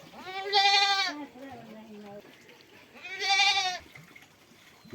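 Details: Goat under lice-removal treatment bleats twice, about two and a half seconds apart, each cry a strained, shaky, nasal wail lasting roughly half a second, with a low murmur of handling noise between.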